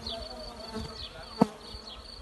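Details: A Western honey bee swarm with its queen settled in an apple tree makes a steady, low humming drone, with one sharp click partway through.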